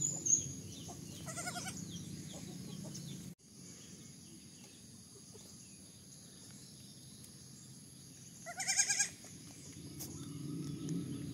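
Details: Baby goats calling with quavering, vibrato bleats, one near one and a half seconds and a louder one near nine seconds, separated by a long stretch of quiet low-pitched background rumble.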